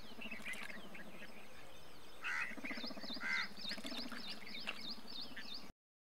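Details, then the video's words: Indian bullfrog, the largest frog species in India: a low, throaty pulsed croaking runs through most of the recording, with harsh crow-like caws around the middle and quick high chirps from other birds above. "Indian Bullfrog"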